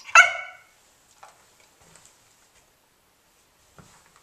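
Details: A 5½-month-old English Springer Spaniel indoors, trained to speak on command, lets out one sharp, loud bark right after repeated commands, followed by near silence with faint soft rustles.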